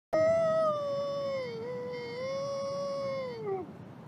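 A wolf gives a long, steady howl that holds one pitch, dips slightly, then falls away.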